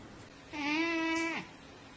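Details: A single cat meow, steady and drawn out for nearly a second, with a slight downward slide at the end over quiet indoor background.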